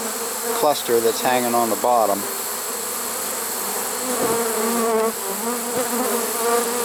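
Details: Late-season honey bee swarm in a swarm trap, 1 September 2019, giving an unbroken buzzing drone. A man's voice speaks over it during the first two seconds.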